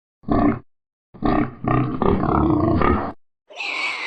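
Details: A Vietnamese pot-bellied pig (Sus scrofa domesticus) gives deep, rough grunts, then a brief higher squeal.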